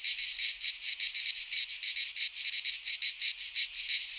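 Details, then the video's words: Greek pine-forest cicadas in midsummer, their high rasping song beating in clear rhythmic surges about three times each second, a constant sizzling drone. "Cicadas singing in midsummer - Nature sounds from the Greek fauna - Sounds of cicadas"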